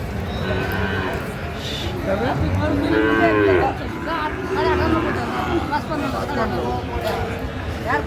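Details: Sahiwal bull at a busy cattle market in Natore, Bangladesh, giving a long bending moo in the middle, with people bargaining loudly and a dense crowd murmur throughout.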